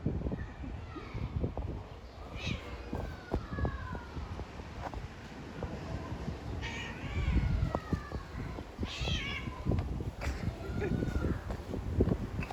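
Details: Female domestic cat in heat meowing to attract a male, with drawn-out, wavering meows at about 2.5, 7.5, 9 and 10 seconds. The calls sound strange and rise and fall. Steady low rumbling background noise and scattered knocks run throughout.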